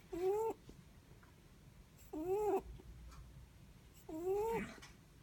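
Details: A sleeping Netherland Dwarf rabbit gives three squeaky, nasal whistling snores, each short and slightly upward-bending with a hiss at its end, evenly repeated about every two seconds in a quiet room.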